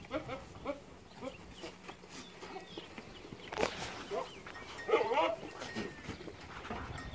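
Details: Boer goats, newly acquired breeding bucks, at San Jerónimo Zoyatitlanapan: several short wavering bleats rise and fall amid a noisy farmyard, with scattered clatter and other goats calling faintly in the background.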